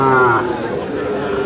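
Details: A short moo from Sahiwal bull calves for sale at Aftabganj cattle market in Dinajpur on 30 June opens with a brief strained burst, then holds a steady low tone while people talk nearby.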